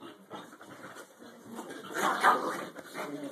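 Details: Maggie, a female dog among playful dogs that spend the day playing, whimpers and whines indoors in a small room, a rough, muffled rise of sound peaking midway, mixed with murmured human voices.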